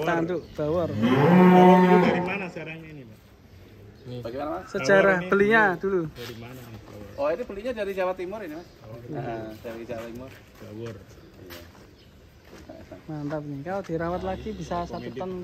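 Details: One of three unusual, funny cattle at GST Farm gives a loud, drawn-out, harmonic moo lasting about a second and a half, followed by men talking and some quieter lowing later on.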